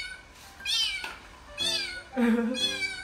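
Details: Rescued abandoned kitten meowing while hearing a recording of its own voice; three clear, high, arched meows about a second apart over soft background music.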